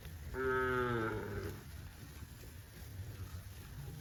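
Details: Cattle on a farm with green grass rice fields, one cow giving a single steady harmonic moo lasting about a second, followed by quiet low rumbling background.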